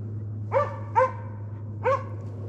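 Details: Close, loud barking by the Slovakian hound Arrow baying a wild boar in place, driven hunt, Sweden, November 2022: two quick barks in succession, a short pause, then a third, each bright and slightly rising.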